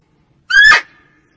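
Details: Female barking deer call, used as a hunting lure: one short, loud tonal cry lasting about a third of a second, bright and harmonic, rising slightly then breaking off, with a faint fading tail and a silent background.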